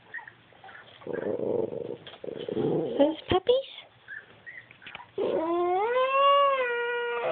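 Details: Two-year-old tricolour Cavalier King Charles Spaniel, unhappy while puppies play on a screen; after mixed noisy rumbling sounds, a long rising-then-level harmonic whine-howl ends the recording.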